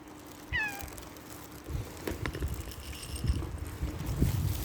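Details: Outdoors in nature, a cat gives one short, falling meow near the start, followed by low rumbling and knocking noises for the rest of the stretch.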